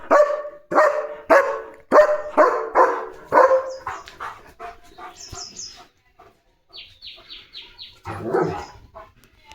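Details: Leo, a German Shepherd, barking to chase other dogs away from the gate of his home; about eight loud harmonic barks in quick succession over the first five seconds, then a man's voice talking and fainter squeaks and chatter afterward.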